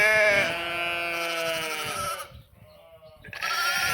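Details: One long, harsh, slightly falling bleat from sheep or lambs lasting about two seconds, then a short pause and the start of another strident baa; recorded 11/5/2026.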